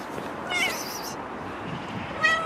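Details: Stray cats living on the street; a short high meow with a slight upward bend, then another brief mew about two seconds later, over steady outdoor background noise.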